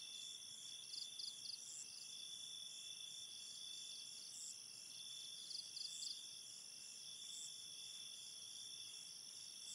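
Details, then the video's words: Crickets calling at night in a forest ambience with a river: steady, high shrill trilling holds throughout, with brief bursts of rapid pulsed chirps near the one, five and seven second marks over a soft hiss. "Enchanted Forest Ambience with river sounds, cricket sounds and night ambience"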